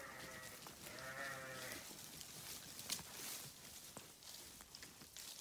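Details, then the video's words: Grazing sheep on a farm, one long wavering bleat near the start, partly masked by hissy rustling and crunching of feeding animals that continues to the end. "Sheep Video | Sheep Grazing | Sheep Farming | Sheep Sound"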